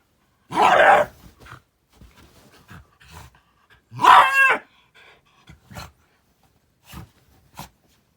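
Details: Angry Shiba Inu throwing a tantrum in almost human-sounding language: two loud, harsh outbursts about three seconds apart, the first a rough noisy bark, the second a strained, warbling howl-like whine with wavering pitch, then scattered soft clicks and shuffles.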